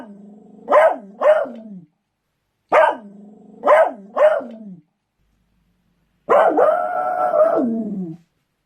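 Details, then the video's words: Barking Beagle: two doubled bursts of sharp yelping barks, then a long sustained baying howl lasting about two seconds. "Beagles barking | barking Beagles sounds"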